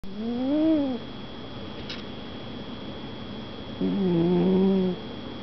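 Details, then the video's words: Sleeping cat snoring: two low, harmonic droning snores, each about a second long and gently rising then falling, separated by a quiet pause of roughly three seconds; steady faint background hum. "Snoring Cat"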